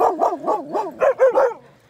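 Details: Great Pyrenees at a dog park, playing with other dogs. A quick run of seven bouncy, rising-and-falling barks, about four per second, fades out near the end.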